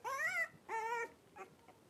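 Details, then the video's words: Three-week-old blenheim Cavalier King Charles Spaniel puppies playing in an indoor puppy pen give two clear, drawn-out tonal whines, the first rising then falling, the second level, followed by fainter short squeaks. "3-Week-Old Cavalier Puppies Wrestle and Play Live"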